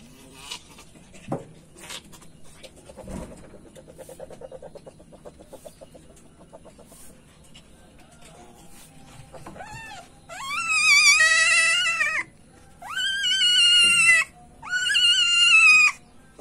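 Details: Civet male in heat giving three loud, drawn-out wavering squeals, each about a second or more, after about ten seconds of faint rustling and soft clicks.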